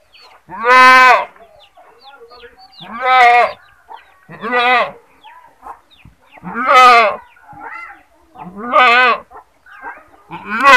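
A goat screams loudly, with harsh, wavering, nasal bleats repeated about every two seconds.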